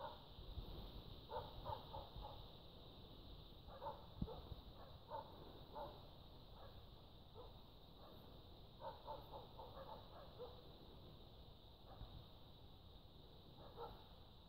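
Roe deer giving hoarse, gruff barks in short clustered bursts, trading calls with barking dogs.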